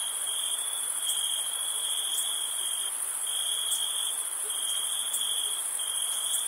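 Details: Crickets trill steadily on a high, thin note on a summer night while camping, with a fainter, even higher band shimmering above.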